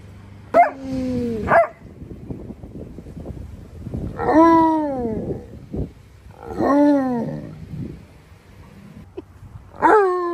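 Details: Tonka and Monroe, two giant Alaskan Malamutes, demand that their green, leaf-strewn pool be scrubbed. They make a series of four loud, falling, talkative howls spaced a few seconds apart, with scattered softer noises between them.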